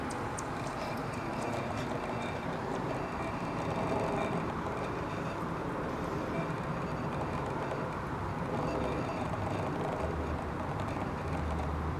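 A steady low rumble of a passing train or vehicle, with no animal calls heard.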